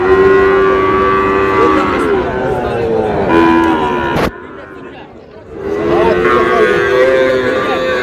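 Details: Sahiwal bull calves at Ambari cattle market, Manikganj, 14 August: sustained level moos from several calves and a sharp knock. The market hubbub drops briefly, then the calves' lowing and human voices return.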